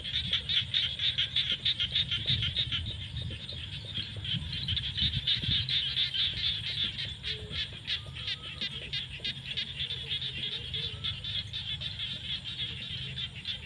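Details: At sunset in rainy-season fields, a dense chorus of frogs gives fast, high clicking pulses that blur into a continuous rattle, with a low background rumble underneath.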